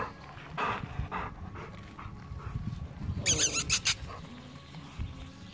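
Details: Five-week-old Golden Retriever puppies give brief, high yelps and squeals amid soft snuffling and panting.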